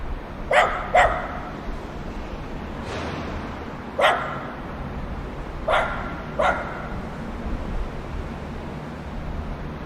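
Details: Playing dogs bark in loose pairs and singles, a quick double bark opening, then scattered single and paired barks, one softer; steady low rumble and faint noise behind.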